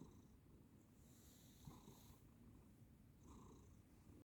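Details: Sleeping house cat snoring very softly, a low grainy rumbling purr under two brief airy breaths about two seconds apart, recorded close in a quiet indoor setting.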